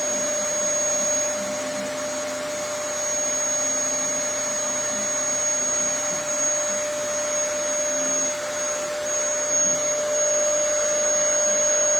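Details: A vacuum cleaner drones steadily throughout, with no animal voice to be heard. Its motor holds a constant whine with a high, thin tone above it.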